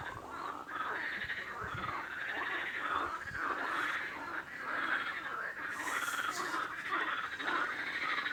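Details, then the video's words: Frog chorus of rattling, pulsed croaks overlapping steadily, with a brief hissing burst partway through. "Frog Sound | Bruit de Grenouille | Kurbağa Sesi"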